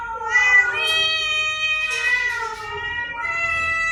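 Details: Cat meows used to attract cats: continuous long, wavering harmonic meowing across four seconds, with a brief louder, strained burst near the middle and faint low background rumble.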